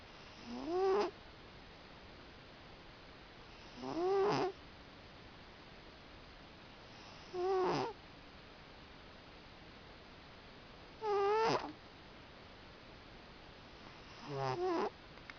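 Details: Sleeping cat snoring steadily. Five wheezy, whistle-like breaths come roughly every three to four seconds, each with a tone that rises and then falls, against quiet indoor hiss between breaths.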